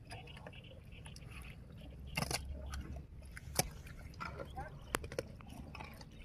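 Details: A swamp buffalo with unusual horns eats grass, giving crisp, crackling crunches in uneven bursts over a soft, low grinding of its jaws; a faint human voice is heard in the background.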